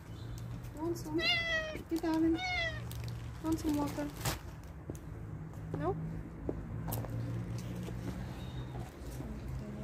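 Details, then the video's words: Homeless stray cats at feeding time give several clear, harmonic meows in quick succession early on, some sliding down in pitch, then fainter mews, while a woman speaks gently to them over a low hum. "Cute meowing cats-Meow meow"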